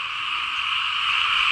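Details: Frogs and small paddy frogs calling together across rain-soaked fields in Laos, a dense unbroken chorus of high buzzing trills in two steady bands, no pauses, loud throughout.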